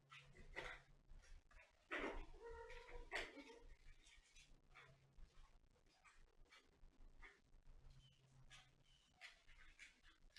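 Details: Pet cat voicing a couple of short, wavering meows amid frequent clicks, knocks and handling noises, with a low steady hum underneath.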